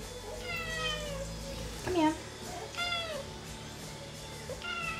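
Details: Female domestic cat, excited about going for a walk, gives about four drawn-out, falling meows spread over five seconds while a person talks to her in a calm, soothing voice.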